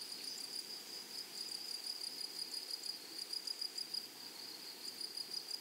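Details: Grasshoppers calling in a flowery prairie meadow: rapid bursts of high, rasping pulses ride on a steady shrill band. A quieter stretch comes midway before the pulsing returns strongly.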